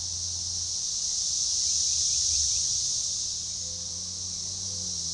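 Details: Organized, synchronizing chorus of Magicicada tredecassini periodical cicadas at a forest edge by a baseball trail near DeValls Bluff, Arkansas, June 7, 2015: a dense high shimmering drone that swells around the middle, with faint short bird chirps and a low hum beneath.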